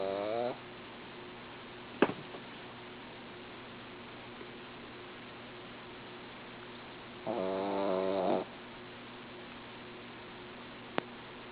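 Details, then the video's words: Female dog snoring while asleep indoors: a wavering, droning snore of about half a second at the start, then a second buzzy, harmonic snore lasting about a second, with quiet room hum and two sharp clicks between. "She is cute...but she snores!"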